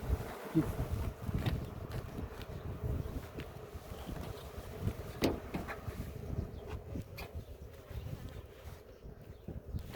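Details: Honey bees at a hive during a queen check after honey harvest, in a village near Ceyhan; a steady low hum runs throughout under sharp clicks and handling knocks, with a man speaking Turkish nearby.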